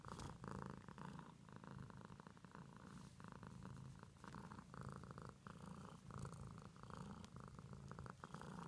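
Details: Pet cat purring for several seconds without stopping, a deep vibrating hum pulsing in even in-and-out breaths about every second, with light rustling heard now and then.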